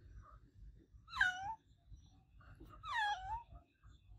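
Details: Olevia, an adopted domestic cat, meows loudly indoors: two drawn-out meows about two seconds apart, each rising then sliding down in pitch with rich harmonics, over a faint low rumble in a small room.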